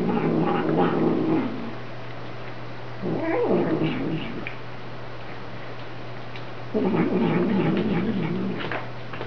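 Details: Domestic cat telling a small black foster kitten to keep away, producing low grumbling growl-moans in three drawn-out bouts, one rising and falling in pitch, over a constant electrical hum.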